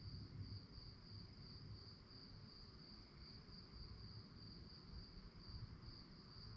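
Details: Crickets chirping at night, a steady high-pitched pulsed trill running without pause over a deep, rumbling low background.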